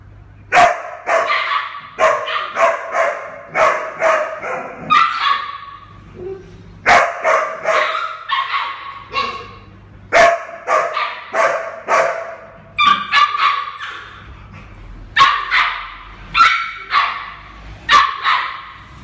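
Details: Eleven-month-old mixed-breed female puppy up for adoption, born to a rescued street mother: bursts of sharp, high yapping barks in quick clusters of two to five, pausing between bursts, with a low electrical hum throughout.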